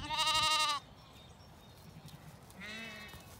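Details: Lambs and ewes of the Zwartbles breed at breakfast on a County Kilkenny farm in Ireland, dry dawn before sunrise; one loud, quavering, high bleat, then a softer, lower bleat after a short pause.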